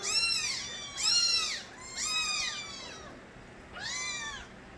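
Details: Loud cries from young kittens of the stray cat Nabi: four high, arching meows spaced about one per second, each rising then falling, the last softer, over quiet room hum.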